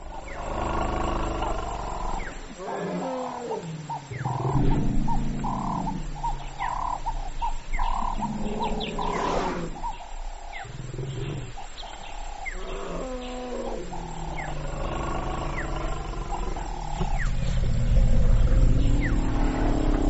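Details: African elephant (Loxodonta africana) giving deep, harmonic rumbles and roar-like calls that swell and fade over twenty seconds, with repeated short mid-pitched bursts layered above and steady low background noise.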